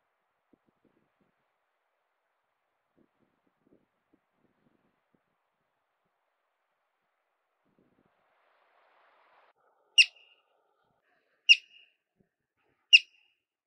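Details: A yellow-bellied marmot near alpine Williams Lake in the Sangre de Cristo mountains gives three sharp, high alarm whistles about a second and a half apart after a long silence, standing on alert.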